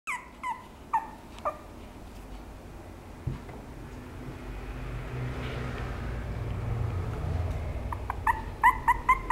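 A small Chihuahua-Maltese mix dog gives short, high yips and whimpers in quick bursts.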